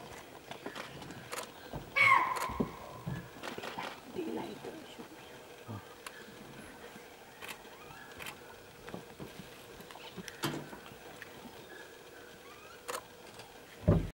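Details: A chital (spotted deer) in Kabini National Park gives one loud, shrill, falling alarm bark near the start, then quiet forest ambience; a male leopard later emerged from the bushes after about 10 minutes.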